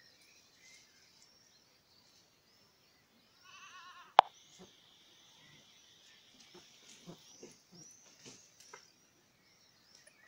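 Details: Miniature goat kids playing at dusk at the Domaine des Tourelles, where miniature goats are bred: a brief quavering, wavering bleat, then a sharp thud and a run of soft knocks and rustles in otherwise quiet surroundings.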